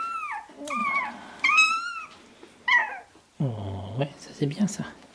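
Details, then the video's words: Shiba Inu puppies sixteen days old, born 25 February 2017 and recorded 13 March 2017, giving high, bending whines that slide downward, several in a row, followed by a lower rough sound and soft voices nearby. "Shiba Inu Ichi Hime Chiots"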